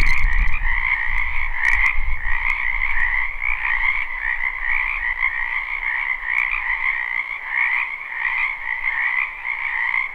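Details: Wetland frogs in spring, recorded live: many croaking voices merge into an unbroken, buzzy trilling chorus with steady pulses, and a brief low thump at the start.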